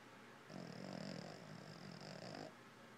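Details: Boston Terrier snoring while asleep indoors: one long rasping breath lasting about two seconds, low and rough with a thin steady high whistle riding over it, then quiet.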